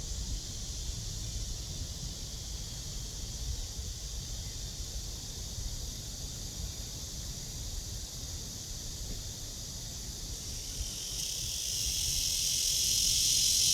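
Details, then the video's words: High, hissing cicada drone from a tree, filmed on a walk at 09:27 on 23 August 2020 under blue sky, steady at first, then swelling louder and shriller over the final few seconds, with low rumble beneath. "나무에 매미"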